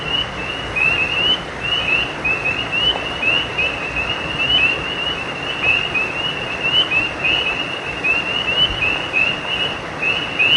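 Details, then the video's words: Nighttime frog chorus near a creek: dozens of brief high rising chirps follow one another in a tight overlapping stream across the whole stretch, over continuous hissing background noise. "Night creek frogs cry"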